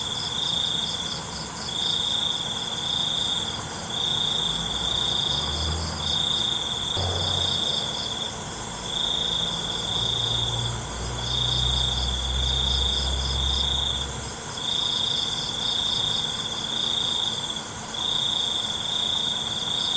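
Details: Crickets chirping at night in a relaxing natural-sound recording: high trills of roughly one second repeated again and again with short breaks, a faint pulsing buzz above, steady insect hiss, and a low rumble partway through.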